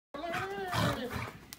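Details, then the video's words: Alaskan Malamute excited at playtime while running around a basement, giving one drawn-out harmonic woo-like vocal that rises slightly and then wavers downward for over a second, with a short sharp click near the end. "Dog ecstatic about playtime in the basement"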